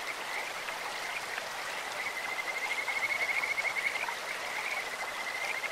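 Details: Kajika frog calling by a clear stream: a high, bird-like pulsed trill, rapidly repeated notes swelling over about two seconds, set against steady rushing water.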